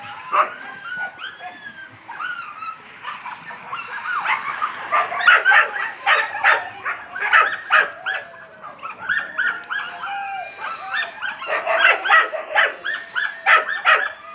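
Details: Fluffy Yakutian Laika puppies yapping almost without pause: overlapping high-pitched yips and squeaky barks pile up into a dense, jittery chorus, briefly softer near the middle before swelling again.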